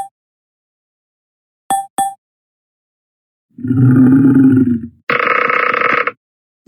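A tiger gives a short, deep, rumbling growl, followed by a voice speaking.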